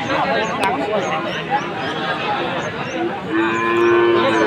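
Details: Sahiwal bull calves being bought by a farmer in Khulna, Bangladesh, on 7 January; a sustained harmonic moo rises out of dense crowd chatter and background noise, held steadily near the end.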